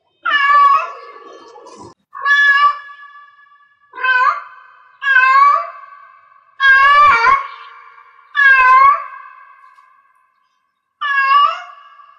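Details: Insistent meowing from a cat in heat: seven long, wavering cries spaced one to two seconds apart, with a short pause before the last, each fading into a soft echo.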